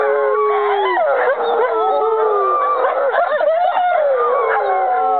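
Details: Chorus of five sibling and half-sibling American wolfdogs singing together, recorded 5.11.2011: dense overlapping howls, some held steady, others bending up and down with quick yips woven through.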